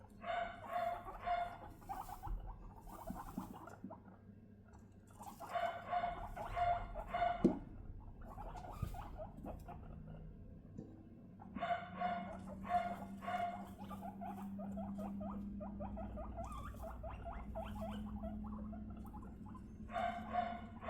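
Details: Three female guinea pigs being introduced and bonded: sisters Rosin and Mandel, 3.5 months old, with Latte, 1.5 months old. Repeated squeaky harmonic bursts come in clusters about once a second, with pauses and a low background hum.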